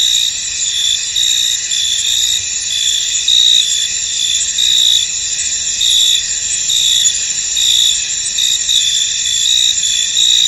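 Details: Misty field with many crickets chirping together, a high, unbroken shimmering trill overlaid by repeated short chirp pulses in a steady rhythm, nothing else prominent.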